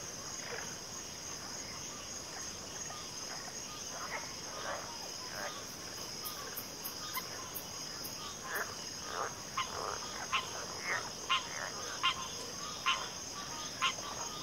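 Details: Frog chorus with a backwater mix including pig frogs and water frogs: short rasping croaks repeated irregularly, about one a second, growing louder toward the end, over a steady high insect-like drone.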